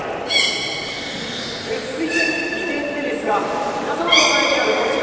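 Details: Beluga whistles at Port of Nagoya Aquarium's public training, 13:30 session on 18 July 2016: a series of clear harmonic tones, some flat, some falling, repeated through the clip beneath hall chatter and speech.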